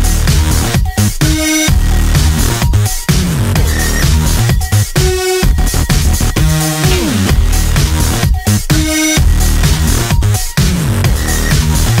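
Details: Loud electronic dance music with a heavy bass beat and synth stabs throughout, and no animal sound.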